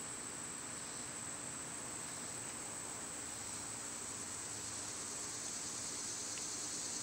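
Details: Cicadas singing in summer, a dense steady high-pitched hiss that swells slightly toward the end, with a low hum underneath.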